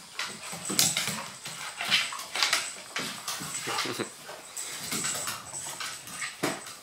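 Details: Dogs at play, a one-year-old male Maltese named BallBall romping with a two-year-old female Golden Retriever, Abbey, and a seven-year-old female Husky-German Shepherd mix, Narnia; breathy, noisy huffs in quick bursts mixed with sharp clicks and scuffling, filmed with a Panasonic Lumix 3D camera.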